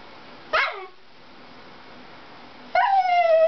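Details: A dachshund watching a Toyota car-chase commercial gives a sharp yelp, then after a two-second pause a higher whine that slides down and holds, over the quiet sound of a television.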